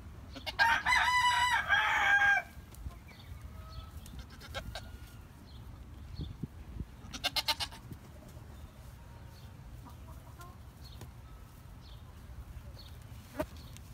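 A Nigerian Dwarf goat kid gives a loud, wavering, nasal bleat, followed by quieter pulsed cries.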